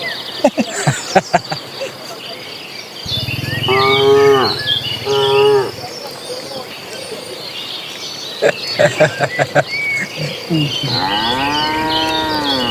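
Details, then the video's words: Cattle in a herd of dozens moving to green pasture: two long, deep harmonic moos mid-clip and a third rising moo at the end, between sharp knocking clicks, with small birds chirping in the background. "Suara sapi lucu riang gembira"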